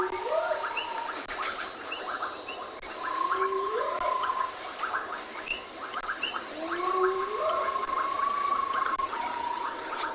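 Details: At sunset on 25 January in Tswalu Kalahari Reserve, South Africa, two hyenas coming down a slope with tails erect give repeated rising whoops, telling other clan members where they are, with steady sideways rain behind.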